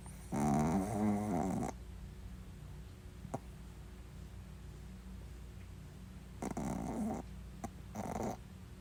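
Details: Snoring pet Shih Tzu: a long, rasping, buzzy snore of over a second, then quiet with a faint click, then two shorter snores close together near the end.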